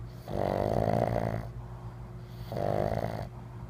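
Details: Winston, a pet pug, snoring while asleep indoors: two drawn-out, buzzy, rasping snores, each about a second long and roughly two seconds apart, over a steady low hum.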